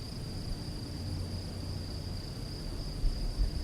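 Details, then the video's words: Night-time cricket chorus in open countryside: a continuous shrill trill stays even and unbroken over a low rumble, with a few dull low thumps near the end. "Grillos cantando"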